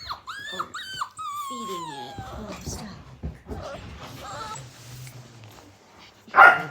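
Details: Australian Cattle Dog puppies at play give high, bending whimpers and yips in the first second, then lower drawn-out whining and growly sounds with small knocks in a small room.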